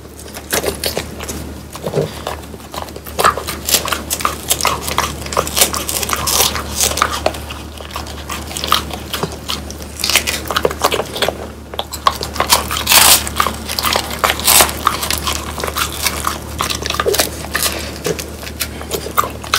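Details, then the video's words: Trio of French Bulldogs crunching through bone-in dried quail indoors; loud, continuous crackling bites and chomps, rapid and uneven, packed densely across the whole stretch with brief lulls. "강아지 먹방 ASMR 통메추리를 건조시켜 바삭하게 먹어봤어요"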